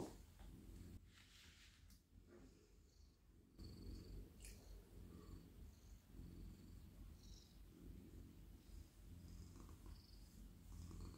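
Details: Steady, low rumbling purr from a soft, friendly male domestic cat melting in a lap as he is stroked at night. Light scratchy rustles of hands moving through fur sit above the continuous drone.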